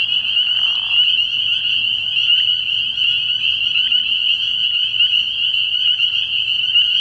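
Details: Dense chorus of spring peepers at a frog pond at night in early spring, a sustained high, shrill ringing of countless overlapping peeps; a short soft lower sound at the start.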